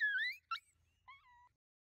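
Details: A pack of five coyotes closing in at night: a rising wavering yelp, a sharp short bark, then a brief falling howl, with quiet between calls.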